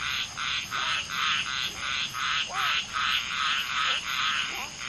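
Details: Common tree frogs (Polypedates leucomystax) mating: one female laying eggs while two males fertilize them, with many frogs calling. Short, harsh, buzzy croaks repeat steadily about twice a second, with faint downward-sliding notes beneath.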